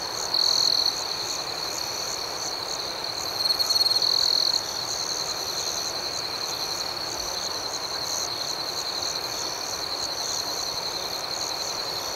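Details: Crickets sing through the night with an unbroken high shrill trill and steady pulsing chirps beneath it; a closer caller swells louder twice early on before the chorus evens out.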